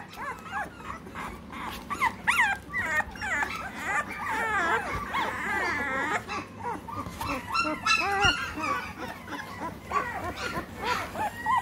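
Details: Several three-week-old American Bully puppies in Great Britain whimpering and squealing together. The wavering, overlapping whines build into a dense, continuous chorus, with a faint human voice in places.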